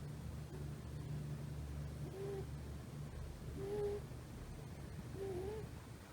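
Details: Rescued female kitten, about three months old, sleeping soundly with a thigh as a hugging pillow, snoring quietly: faint squeaky whistled snores that rise and fall, one roughly every two seconds, over a low steady hum.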